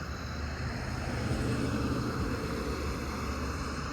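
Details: Steady low rumble of passing traffic with no animal calls.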